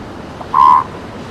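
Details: One loud, steady, nasal tone from a seal pup on a beach, about a third of a second long with clear overtones, set against quiet rolling surf.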